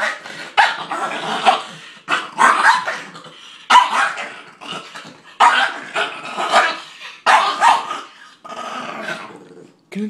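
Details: Super Dog guards his bones and may attack: loud harsh growls and barks come in bursts of one to two seconds, with short pauses between them, while a person speaks about the bones.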